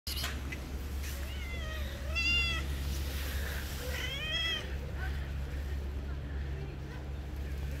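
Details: Stray cat waiting by the roadside in the rain for someone to give her food, meowing: two clear harmonic meows, a rising-falling one near two seconds and another around four seconds, over steady low hum and rain noise.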